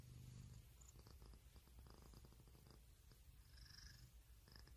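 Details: A pet cat purring in a steady, low, rumbling drone with fine rapid pulses throughout, with faint hissy higher sounds drifting above.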